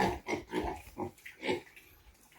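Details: Pigs, with young piglets said to be 48 days old, giving short low grunts repeated about every half second, several clustered then a final louder grunt, amid light background noise.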